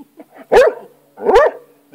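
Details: Pet hound named Rocky, obsessed with lizards, barking while going after a lizard indoors: two loud harsh barks about 0.8 seconds apart, each with a short rising yelp at its core, with softer huffs in between.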